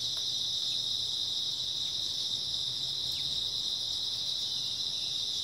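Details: Grass insects on an early autumn night: a dense, unbroken high shrill chorus of many callers, steady and even throughout, with a faint low hum underneath.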